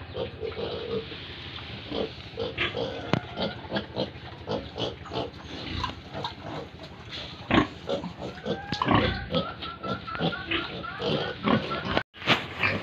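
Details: Several pigs and piglets at a Tripura farm in India, busy overlapping grunts with rising squeals toward the end and a brief cut near the finish.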